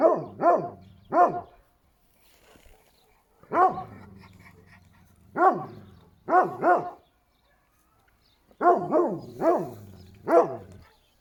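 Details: Barking from a Šarplaninac dog: loud, full-toned barks in clusters of two or three, separated by pauses of one to two seconds, with a low lingering rumble after several barks.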